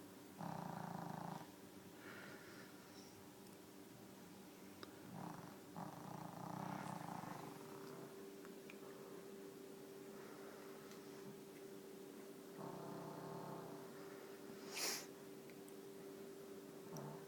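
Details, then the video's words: Female pet dog snoring while asleep indoors: rough, breathy snores in slow, uneven bursts every few seconds, with a steady low electrical hum underneath and a brief sharp click near the end. "My snoring dog"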